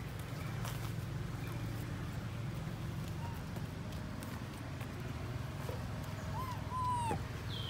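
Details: Baby monkey Lori cries after her mother Amari leaves her alone: a few brief, clear, whistled wails, one rising then falling, late in the clip, over a steady low hum and faint rustling.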